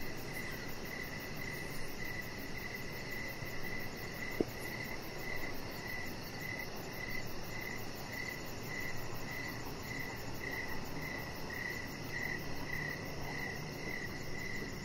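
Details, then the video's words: Crickets chirping on a deck outdoors in the evening: a steady, high-pitched chirp repeated about twice a second, with a faint fast buzzing higher up and a soft background hiss. "Chihuahua Puppy Laying On Deck with Cricket Sounds"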